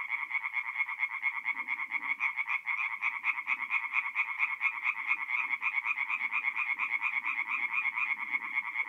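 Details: Night chorus of tree frogs at a forest pond, north-east Italy, mid-April; many overlapping callers give a steady rapid rattle of short pulsed croaks, roughly two each second, with faint low background rumbles.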